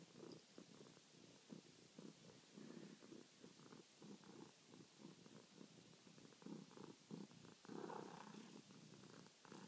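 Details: Nightly purring from Charlie, a house cat who kneads and meows for petting; a rough, pulsing low rumble broken into short bursts, slightly louder and more uneven toward the end.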